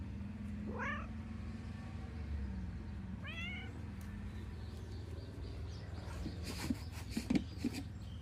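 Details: Pet cat at a morning gathering, two short rising meows a couple of seconds apart, followed by a drawn-out low murmur, then clicks and rustling near the end over a constant low hum.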